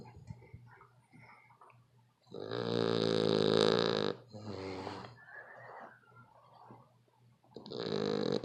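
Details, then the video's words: A very loud snoring dog gives a long, harsh, droning snore of nearly two seconds. It is followed by a shorter, rougher snort, a soft hissing breath, and the start of another loud snore. "The Worlds Loudest Snoring Dog"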